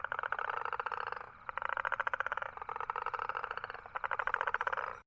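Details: Four rattling, fast-pulsed toad trills of roughly one second each, separated by short pauses, in an otherwise quiet recording.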